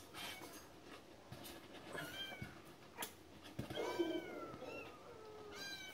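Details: Domestic cat giving a series of drawn-out meows with rich harmonics, some gently rising then falling, others sliding downward, spaced irregularly across the recording, plus a few soft clicks and knocks indoors.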